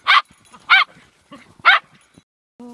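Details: Pack of dogs at play (Max the Boxer, Nanuk the Alaskan Malamute, Yuki) gives three loud, separate barks spaced over two seconds, with a brief tonal whine or voice at the very end.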